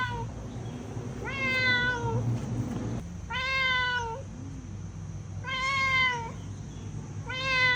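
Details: Four drawn-out, tonal meows from a cat, spaced about two seconds apart, each slightly rising then falling, with a constant low mechanical hum in the background.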